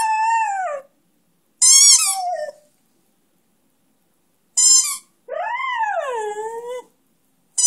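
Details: A one-year-old Beagle-Schnauzer mix ('Schneagle') sings along with his favourite toy in drawn-out, wavering howls that rise, bend and slide downward.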